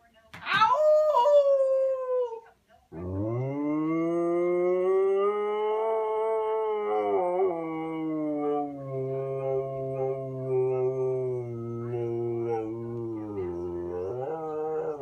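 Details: Khaleesi, a female Siberian Husky eager for a walk, talks to her owner indoors. She opens with a sharp falling whine, then gives a long sustained howl-like moan that wavers slightly in pitch for over ten seconds.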